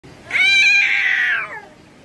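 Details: Cat gives a single loud, drawn-out scream of about one second, harsh and nasal, holding steady then sliding slightly downward before fading, in a small indoor room.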